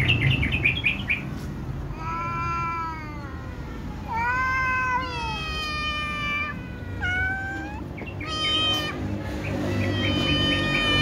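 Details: Little cats and a tom cat meowing loudly before feeding, a sequence of long arched meows from different voices, some deep and drawn out, others high and short, with brief gaps.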